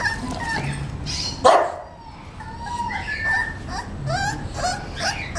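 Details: Young male English Bulldog pup, 38 days old, whining with drawn-out nasal tones, one sharp louder yip near the middle, then more wavering whimpers over a low background hum.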